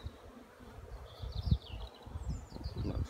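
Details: Honey bees flying out around hives on 15 April 2016, the first fine weather after more than a week of rain; low droning buzz with passing swells, faint bird chirps higher up.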